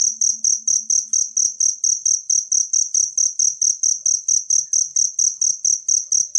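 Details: Wild cricket calling for use as birdsong-mastering material: sharp, high-pitched chirps spaced evenly about three a second, each a brief trill, very clear and uninterrupted.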